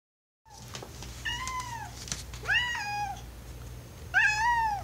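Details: Alastor, an indoor domestic cat, gives his oww sounds wanting to go downstairs where it is more comfortable for him; three drawn-out meows, each rising then falling, about a second apart, over a steady low hum.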